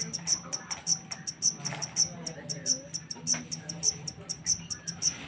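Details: Wild-caught black cricket (jangkrik hitam) from Indonesia giving sharp, high-pitched chirps, about two per second in a steady pulsing series, over a low, faint background hum.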